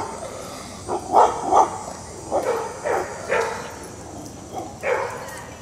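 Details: Dixie, a German Shepherd/Collie mix dog in training with Raleigh Durham dog trainers, gives a run of sharp, mid-pitched barks, about seven in five seconds at uneven intervals, some doubled, over a quiet background.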